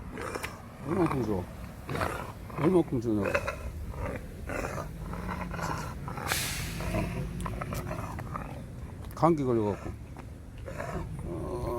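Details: Pet dog Khan, sulking after returning home from Gageodo island, gives drawn-out grumbling whines with rising and falling harmonics near one, three and nine seconds, over a low steady hum and people talking nearby.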